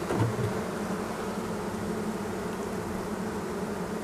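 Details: Honey bees inside a hive holding many young bees, opened in spring; a continuous low droning hum, even in loudness for the whole stretch.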